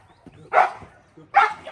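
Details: Presa Canario (Dogo Canario) in decoy bite training, going through a tunnel, giving two sharp barks under a second apart, with a handler's voice nearby.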